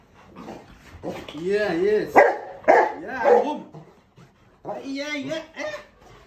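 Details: Pet Rottweilers at home greet their owner on his return from the grocery store. Excited, wavering whine-like cries rise and fall, with sharp bark-like bursts near the middle and a human voice speaking alongside.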